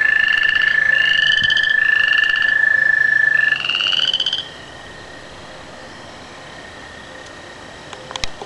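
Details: Frogs and tree frogs chorus before rain: one steady, high, drawn-out trill runs under rapid, pulsed, buzzy notes from other callers, then the calling stops abruptly, leaving quiet background hiss and a faint click near the end.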